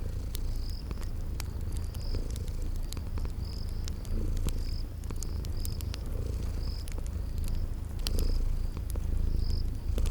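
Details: Sleeping cats purring by a crackling fireplace, spring garden atmosphere; a constant low purr swells slightly in places while wood crackles pop and short high chirps recur at steady intervals.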